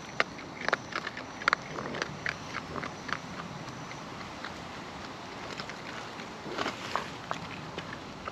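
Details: Raccoons feeding in the wild: sparse crisp clicks and crackles of biting and chewing over a steady quiet outdoor background.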